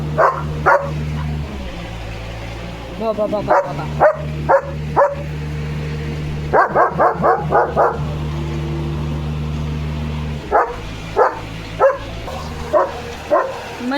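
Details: German Shepherd Leo barks at a loud mixer machine: bursts of rapid barks, some in quick runs of four or five, over a loud low humming motor that starts and stops, with a man speaking.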